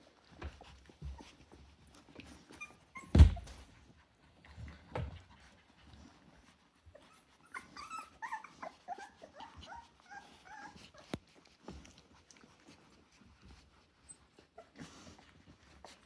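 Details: Litter of ten Rottweiler puppies, 24 days old, indoors as balance, curiosity and early play develop; soft, scattered high whimpers and squeaks cluster in the middle, with low shuffling thumps and one sharp knock near the start.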